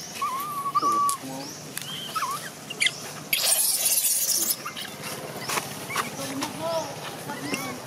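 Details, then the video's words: Baby macaque Jixn in Siem Reap, Cambodia, crying in a tantrum as its mother Jade refuses to let it nurse: wavering, whistled cries, some steady and some rising then falling, over chirping from other small creatures and faint background noise. "Baby Monkey Jixn Crying Tantrum Angry Mum Not Allowed Milk"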